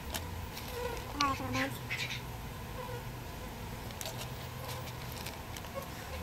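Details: Bees being moved from a birdhouse into a bee box during a rescue: a steady low droning hum runs throughout, with brief voices and clicking handling noises on top.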